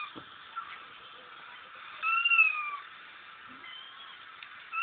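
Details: Crying kitten sound played to Frank, a female house cat and former mother, to test her reaction; one drawn-out falling meow in the middle over a steady background hiss, with a faint cry starting at the end.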